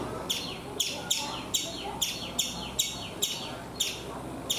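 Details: A chipmunk in a coconut tree in India gives sharp, high chirps, repeated steadily about twice a second.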